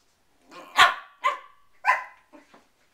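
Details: Poodles with cabin fever barking indoors: three loud, ringing barks about half a second apart, each with a strong tonal tail, followed by two softer short yips.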